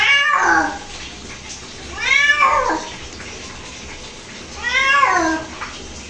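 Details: Pet cat protesting a bath indoors: three long, loud, downward-bending meows spaced about two to three seconds apart, with a quiet watery background.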